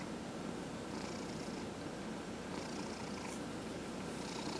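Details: A 14½-year-old male domestic cat purring steadily during a head massage; a continuous low, grainy rumble with even loudness throughout and faint soft rustling above.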